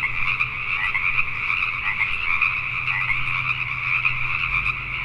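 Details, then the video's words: Pacific tree frogs calling at night in Richmond, British Columbia, Canada: a dense, continuous chorus of overlapping croaks forming steady bands in the upper-middle range, with a faint low hum beneath. "Pacific Tree Frogs at Night"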